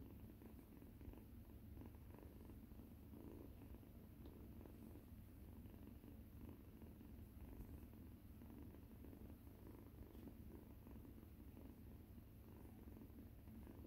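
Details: Rescued domestic cats indoors: orange kitten Mikan plays with the large tail of resident cat Yuzu. A steady, low, continuous purr runs unbroken through the whole stretch, with only faint room hiss behind it.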